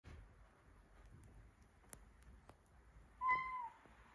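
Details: One of two one-year-old Siberian Forest twin cats, Sacha and Michka, climbing into a dishwasher, gives one short falling meow near the end after a quiet stretch with faint clicks and taps.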